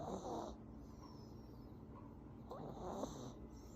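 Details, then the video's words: Sleeping Affenpinscher giving two gravelly snores a little over two seconds apart, with a light nasal whistle on each and hushed breathing in between. "코골며 자는 강아지 모먼트"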